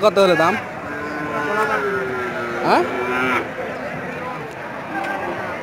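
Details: Several cows mooing: a short bending call at the start, then a long, steady, level moo of over two seconds, over a background of passing vehicles and a sharp sweeping noise in the middle.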